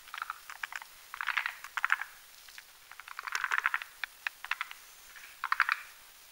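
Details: Forest green tree frogs building a foam nest at night on a spindletree branch overhanging a marshy mountain pond; separate clucking pulse groups, a few clicks each, with short quiet gaps between bursts.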